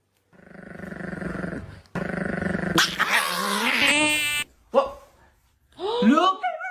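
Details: Dog growling in two long, rough, buzzy rumbles. They are followed by a noisy stretch, a brief high tone, and short yelping, whining sweeps near the end.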